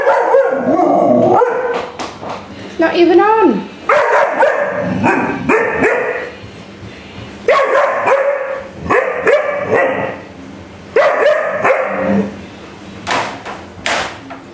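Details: A male Alaskan Malamute puppy, agitated by a vacuum cleaner, gives repeated yodelling woo-woo howls and yips while a person speaks briefly.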